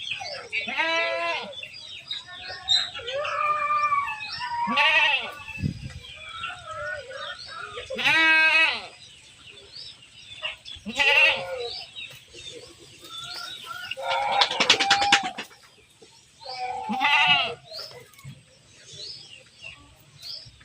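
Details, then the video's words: Goats being herded, calling with loud wavering nasal bleats, about seven strong calls spaced a few seconds apart, plus softer overlapping bleats in between. "Menggiring Kambing Lucu, Domba, Hewan Ternak, Embek, Domba Lucu, Suara Hewan"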